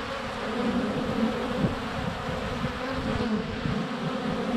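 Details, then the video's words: Close-up at a honey bee hive entrance on a sunny February day, recorded by a GoPro Hero 7 Black; constant low droning buzz of many flying bees, fairly even in loudness throughout. "Honey Bees - ambient video and audio"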